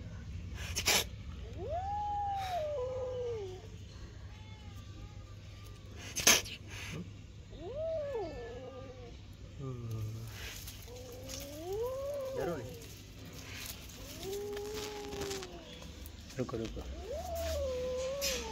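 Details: Two-month-old kitten calling with about six drawn-out, wavering meows that bend up and down in pitch, some sounding plaintive, while a person speaks Hindi coaxingly and thumps and handling noises occur.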